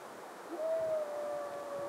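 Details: A red deer stag, either a Siberian maral at Lake Teletskoye in Altai or a European red deer in Berezinsky Reserve, Belarus, gives a drawn-out, whistled call that holds steady and then falls slightly.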